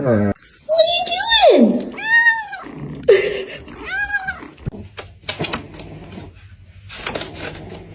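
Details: Cat giving several short meows indoors, one sliding sharply downward, others brief and arched, mixed with human voices and household clatter toward the end.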